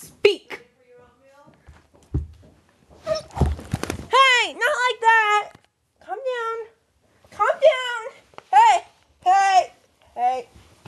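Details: Indoors, 21-month-old female Rhodesian Ridgeback Koda, 95 lbs, barks and whines when asked to be cute; a run of loud, bending, yodel-like whines and yowls follows a few thumps, with a person's voice between.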